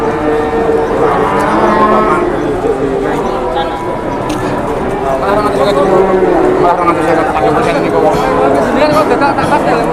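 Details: Cattle held at a crowded market while traders haggle: several overlapping lowing calls, wavering and tonal, come and go across ten seconds beneath steady human chatter.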